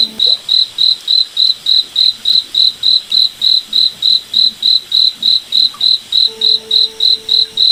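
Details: Nighttime forest cricket giving even, shrill chirps at a quick regular pace, roughly three and a half per second, over a quiet background; a soft low hum appears near the end.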